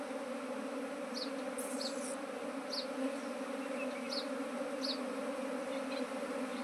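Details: Domestic honey bees, part of a beekeeping venture that expanded from one hive to nineteen colonies, hum in a steady low drone. Short high bird chirps repeat roughly every second above it.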